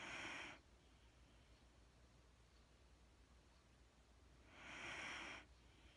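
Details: Sleeping Wheaten Terrier named Mattie giving slow, airy breaths indoors, one breath ending at the start and another soft hissing exhale about four seconds later, over a faint low hum.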